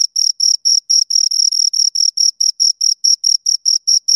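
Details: Two crickets chirping: a steady train of short, high-pitched, shrill pulses, about five per second, clean and evenly spaced with a faint upper overtone and no other sounds behind them.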